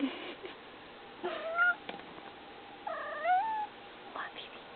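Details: A domestic cat making noise indoors: two drawn-out, wavering meows, the second bending upward then down, plus shorter clipped mews in between, over a quiet low background hiss.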